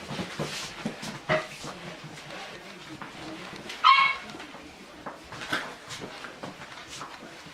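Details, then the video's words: Chubby English Bulldog puppies playing with a toy give short yips and a bright squeaky whine near the middle, with scattered bumps and rustling from their play. "Chubby Puppies Playing With Toy - English Bulldog"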